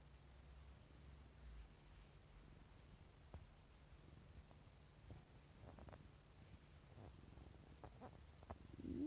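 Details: Affectionate male house cat purring indoors, a continuous low throbbing rumble with scattered faint clicks and small rustles, and a short voice sound at the close.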